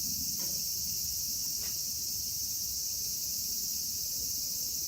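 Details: Continuous high-pitched buzzing chorus of cicadas from Kitatama District, Tokyo, Japan, with Platypleura kaempferi, Graptopsaltria nigrofuscata and Hyalessa maculaticollis present, even and unchanging throughout, above a faint low background rumble and two soft taps.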